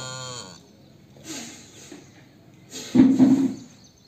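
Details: Cow calf waiting for milk, calling: a short, nasal, harmonic bleat at the start, soft shuffling, then a louder, low, hoarse moo near the end. A person speaks just before and after.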